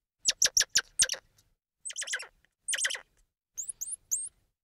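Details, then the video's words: Squirrel monkey giving quick bursts of very high, sharp chirps: a rapid run of four or five short notes, then three more clustered twitters, ending with thin upward-flicking peeps. "Squirrel Monkey Sound"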